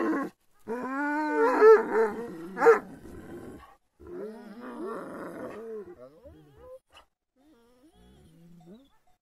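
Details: Agitated Kangal dogs as if attacking: loud rolling growls and harsh snarling barks in two long bouts, fading into quieter whining, grumbling tones at the end.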